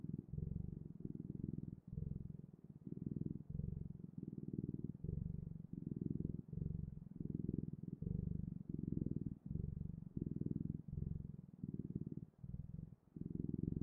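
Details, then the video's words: Close purring from a cat: a deep, throbbing rumble that swells and pauses with each breath, about forty cycles a minute, steady and unaccompanied. "Purring Clouds: The Best, Ultimate, and Magical Sounds of Cat's Purring"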